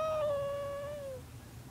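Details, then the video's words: Sleeping house cat meowing as it dreams, a single sustained, clear tonal meow lasting just over a second, level then gently dropping in pitch at the end, with a faint low hum behind. "Meowing Dreaming Cat"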